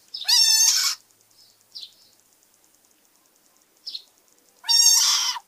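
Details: Caught frog giving two loud, harsh screams about four seconds apart, each a rising nasal wail rich in harmonics lasting under a second, with a few faint squeaks in the quiet between.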